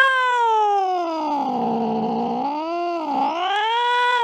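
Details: Cat chasing a mouse late at night: one drawn-out, wavering yowl that slides down in pitch, dips again, then rises to a strained finish, sustained for about four seconds without a break.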